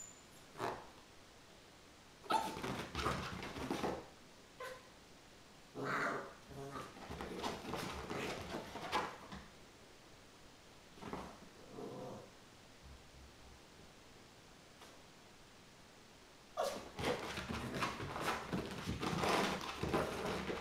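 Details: Chinese Crested dog puppy named Mogge, about 15 weeks old, indoors going crazy after a bath; short sharp yelps and bark bursts come in scattered clusters with quiet gaps, faint human voices between them.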